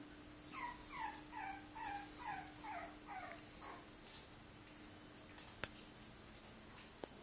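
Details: Cavalier King Charles Spaniel, a male, whimpering in a run of about eight short, falling whines spaced roughly half a second apart, then quiet with a couple of sharp clicks.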